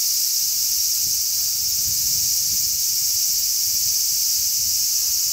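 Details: Large brown cicadas, many together on a zelkova tree, 3 August 2010: continuous shrill sizzling with no pauses, overlaid by a steady low rumble of strong sea wind.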